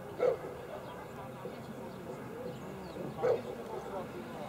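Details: Cane Corso named Allison Gulieta's paradise at the 2017 Czech ZVV3 working trial championship in Nýřany: two short, sharp barks about three seconds apart, set against a steady murmur of outdoor background noise.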